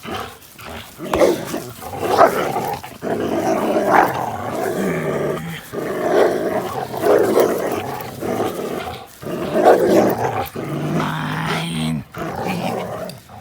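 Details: Two dogs, the APBT Linus and Buddy, a blue Belgian Malinois cross, playing together on April 1, 2019; rough, throaty growls and grumbles come in bursts lasting a few seconds, broken by short pauses near three and nine seconds.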